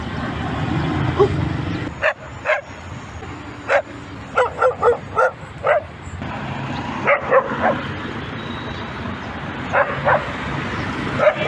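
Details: Dog barking repeatedly, a quick run of about six sharp, loud barks followed by a pause and then further scattered barks, over low background rumble.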